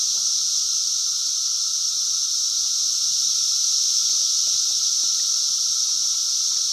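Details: Farm cicadas, 2016, a loud chorus: a constant high, sizzling drone with a thinner, lower buzzing band running alongside it, never pausing, and faint scattered ticks underneath.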